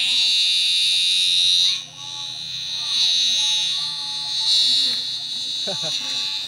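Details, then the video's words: Giant cicada in a field, a steady loud high-pitched buzzing drone that holds for the whole stretch and dips briefly near the two-second mark, with a person talking over it and a few faint clicks. "catch giant cicadas with very loud sounds"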